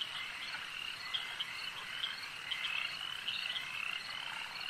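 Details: A lake's frogs in full chorus: steady high trilling from numerous callers, with short, clicking notes popping out at irregular moments.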